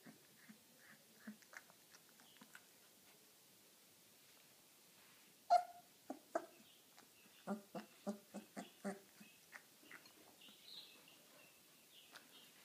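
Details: At dinner time, an 18-day-old Irish wolfhound puppy indoors lets out faint scattered whimpers, then one sharp squeal followed by a steady run of short repeated squeaks.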